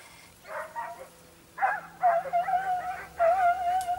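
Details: Segugio Italiano hound, possibly named Sofiko, on a hare hunt in Evros, Greece, 22 October 2023: drawn-out, steady-pitched tonal bays in three bouts, each about a second long with short gaps, over a quiet background.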